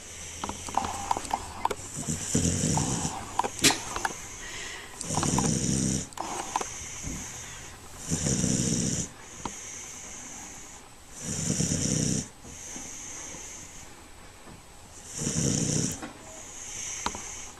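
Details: Dancer, a neutered male American Pit Bull Terrier found as a stray and adopted in June 2009, lounging as a couch potato: deep, rasping snore-like grunts in long breathy bursts roughly every three seconds, indoors.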